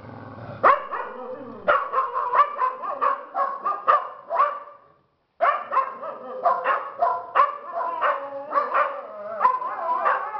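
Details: Dogs of a household pack at Toca do Bilbo meeting up to howl together, affirming their places: dense overlapping yips and wavering howls, broken by a short silence midway, then resuming just as busily.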